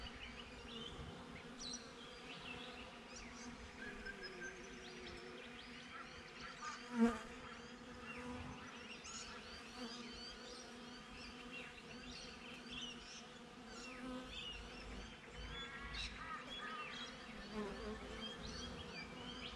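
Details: Honey bees buzzing at a beehive, recorded on a GoPro placed just outside the hive: a steady, layered hum with stacked tones, a brief louder knock near the middle, and scattered small bird chirps above.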